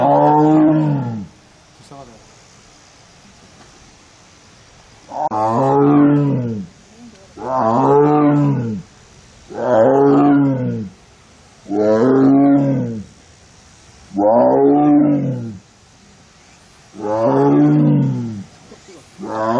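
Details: Female Korean tiger out alone in an arboretum tiger enclosure in Korea while in heat, September 2022; after a quiet opening, six deep, sorrowful harmonic moans follow one another roughly every two seconds.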